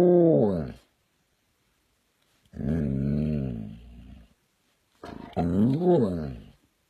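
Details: White dog howling: three long, harmonic, wavering howls with gaps of about a second and a half between them, each rising and falling in pitch, the last one wobbling most, heard indoors.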